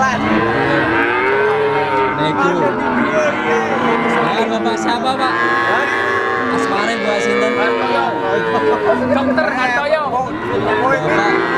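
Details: Three-month-old Simmental, Limousin and Pegon calves for sale call together in a steady chorus of short, arching moos, many voices overlapping over continuous background noise.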